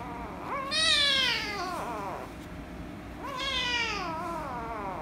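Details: Loud protest meows from an angry rescue kitten, a female, when petted: two strong, bright meows about two and a half seconds apart, each rising sharply and then sliding down in a long falling tail.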